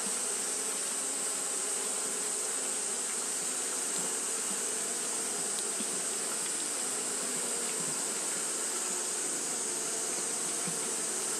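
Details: Japanese honey bees fanning on a hot day give a continuous collective buzz, low and droning, with faint flickers of individual wingbeats and an unchanging high hiss over it all.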